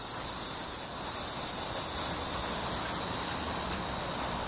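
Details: Loud cicada in a tree, sustained shrill, high-pitched buzz with fast rhythmic pulsing, briefly intensifying near the middle before easing slightly, droning on without pause.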